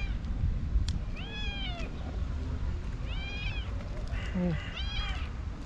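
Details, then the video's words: A hungry white tabby stray cat, female, meows loudly beside people she has missed; three drawn-out, arched meows, each rising then falling over about half a second, spaced a second or two apart, with soft Turkish speech in the background. "White Tabby Cat Meowing Loudly For A Long Time"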